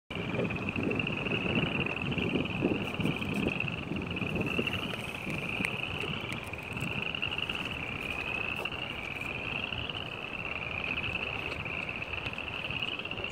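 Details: Countless spring peepers call together on 15 February 2018, their sharp, high peeps overlapping into a continuous bright shimmer that swells and ebbs, over a low rumble of background noise.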